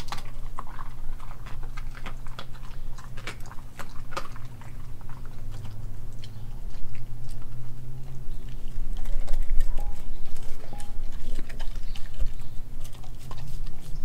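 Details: Nala, an Australian Kelpie German Shepherd mix, eats raw beef liver, beef heart, chicken feet and chicken thigh; wet chewing and irregular crunching clicks come several times a second over a steady low indoor hum.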